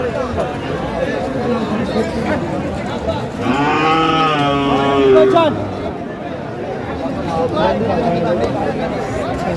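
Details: Sahiwal bull at a busy Tangail cattle market, Bangladesh, 4 March 2025, gives one long, loud, wavering bellow lasting about two seconds midway, surrounded by men haggling over prices and general crowd chatter.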